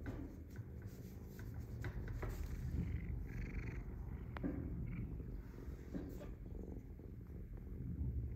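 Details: Domestic cat purring indoors while being poked: a steady, low rumbling purr pulsing rapidly throughout, with soft rustling and a few sharp clicks and taps over it.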